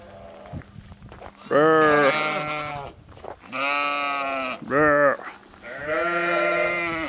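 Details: Several drawn-out, quavering bleats from sheep in Skåne, Sweden, the second longest at about one and a half seconds, with a brief higher bleat between them and soft background noise.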